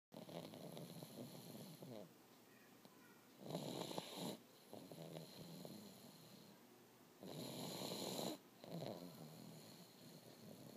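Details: Honey, a pet pug, snoring indoors while asleep: broad rasping snore bursts near 4 and 8 seconds between softer wheezy breaths, a rough rhythm of inhale and exhale.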